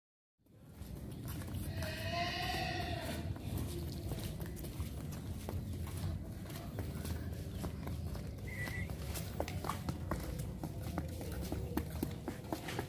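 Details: Agile Sumbawa horse: a short harmonic whinny rises early, lasting about a second, over a steady, rapid clatter of hoofbeats and rustling ground noise that continues to the end.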